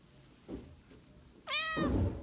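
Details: Domestic cat giving a single meow near the end, a short falling-then-level tone with clear harmonic bands, after a couple of soft thumps; faint steady high whine in the background.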